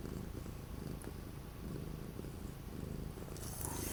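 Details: Low, rough purring from an orange cat unable to go outside because of days of strong wind and cold, 12 January 2025; a light rustle rises in the final half second.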